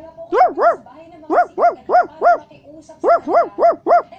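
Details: {'caption': 'A Basset Hound barks loudly and clearly in bursts of two to four. Each bark is an arched, tonal yelp with rich harmonics, and the recording is otherwise quiet.'}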